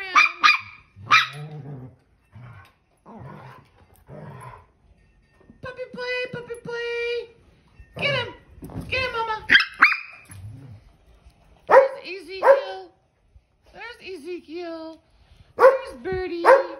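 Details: Dog in play letting out a long irregular series of sharp barks, squeaky whines and higher yips, some bunched close together, others separated by brief silences.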